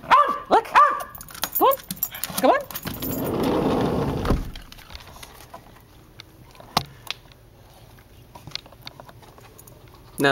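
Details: Dexter the Westie barking in the backyard, wanting to come in; a quick run of four or five high yaps at the start, then a rushing noise and a long quiet stretch with scattered taps.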